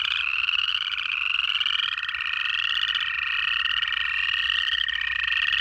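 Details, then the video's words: Georgia frog chorus in January, native frogs producing overlapping rising pulsed trills, joined by a steady, even lower-pitched whining tone held through most of the recording. "1 Hour of Native Frog Calls"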